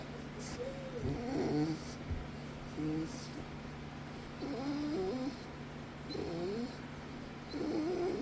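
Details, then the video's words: Windsor, a pet dog being given love by Bug alongside Kahlua, suddenly making noises he has never made before: warbling, wavering whiny moans in short bursts that rise and fall, repeating every second or two over a steady low hum. "Windsor starts making weird noises!!"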